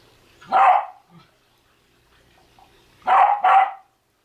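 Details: Welsh Terrier barking while trying to get a basketball: one sharp bark, a pause of over two seconds, then two quick barks in close succession, in a quiet indoor space.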